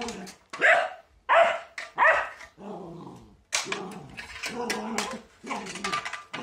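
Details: Border Collie fighting a broom indoors, letting out sharp barks in quick bursts, then lower growling and grumbling barks mixed with scraping noises.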